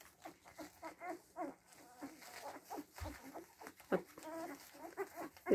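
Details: Week-old Siberian Husky puppies, seven days old, squeal and whimper in a rapid, uneven series of short, high, harmonic cries, some rising then falling, with a few louder yelps near the end and faint human voices between.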